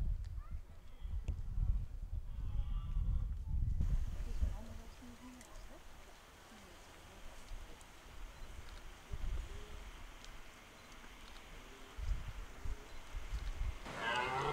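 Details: Red deer in the 2023 rut at Hoge Veluwe park, Netherlands: a deep, rough roar lasting about four seconds, rumbling low with faint upper overtones, then a quieter outdoor background with scattered soft rustles.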